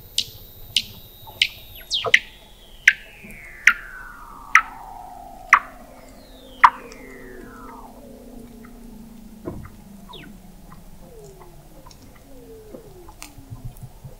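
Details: Under Antarctic sea ice at McMurdo Sound, November 2017, a Weddell seal recorded 21 m below the ice by the McMurdo Oceanographic Observatory gives a series of descending chirping pulses, then long sliding whistles falling in pitch, with later short down-swept calls.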